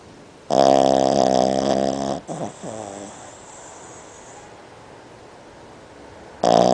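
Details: Boston Terrier snoring indoors: a loud, rasping, strongly buzzing snore of nearly two seconds, then a shorter snort, a quiet breathing gap, and the next harsh snore starting.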